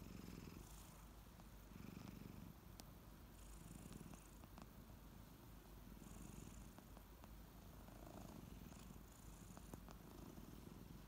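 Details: Ariel and Bear, kittens waking up in the morning, purr deeply; the low rumble swells and fades with each breath, roughly every second, while brief bright licking noises come and go.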